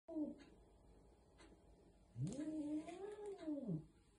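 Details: Older resident cat growling indoors at a young, bold newcomer cat before hiding, recorded 16 November 2020; a brief low note, then a drawn-out, wavering moaning growl that rises and falls for about one and a half seconds.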